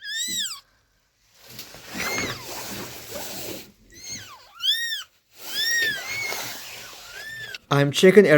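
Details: Abandoned kitten rescued after surviving two days in -11°C snow, crying in a series of high, arching mews, several in quick succession, separated by rustling and handling noises, with a loud clatter at the end.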